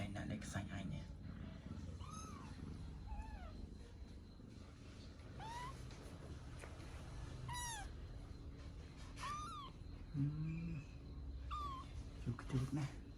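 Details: Tabby kitten learning to walk, step by step, calls with high thin mews that rise then fall, repeated every one to two seconds over a low steady hum, with a woman speaking Khmer near the end.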